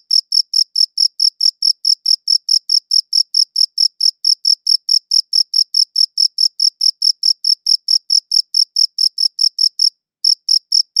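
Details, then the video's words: Chirping cricket captured on a quality audio recorder, giving a fast, even series of high, pure chirps around two to three per second, broken by one short gap near the end, over complete silence. "Cricket Chirping Sounds"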